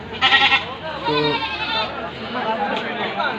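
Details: Goat on a farm in Assam, India: a short harmonic bleat opens, followed by a longer, steadier wavering bleat, with voices and background music.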